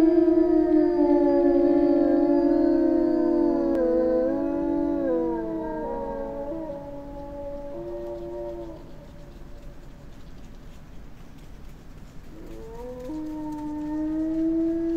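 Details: Howling wolf pack in a jungle: overlapping sustained tones that bend and fall in pitch, fading quieter midway, then a fresh rising howl returns near the end.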